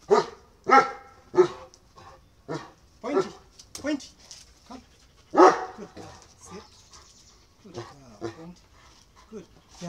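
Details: Domestic dogs at home, a 9-year-old female Great Dane and an 8-month-old German Shepherd and Belgian Malinois cross, during a stay-and-come command session: loud, short harsh barks in uneven bursts, mixed with a woman's spoken commands.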